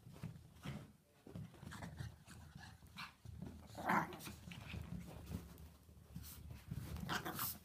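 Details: Chihuahuas at play inside a small room, giving rough low growls and panting throughout, with one short sharp bark near the middle and rustling, bumping movement noises around them.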